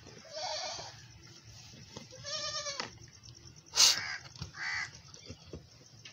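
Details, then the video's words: Nursing scene on a farm, a mother goat giving milk to her grown male kid: a quavering bleat, then a clear, ringing harmonic bleat near the middle, followed by a sharp knock and a brief nasal cry. "Mother Goat Feeding Milk to her big baby male goat || Large Baby Goat Feeding milk"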